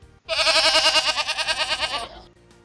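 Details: Goat bleat played in a Ukrainian first-grade language lesson on animal voices: a loud, wavering bleat lasting nearly two seconds, with rapid regular tremolo throughout, then stopping abruptly.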